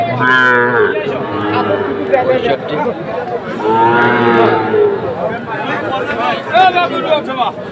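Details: Bulls for sale at a cattle market in Comilla, Bangladesh, 14 September 2024; a short loud low at the start and a longer rising moo midway, with buyers and sellers talking throughout.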